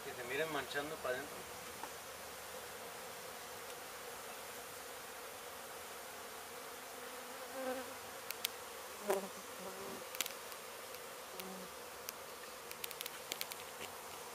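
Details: Dense, continuous hum of honey bees from a disturbed hive in a demolished abandoned house in Mission, Texas, during removal. A person speaks briefly at the start, followed by scattered clicks and taps over the steady drone.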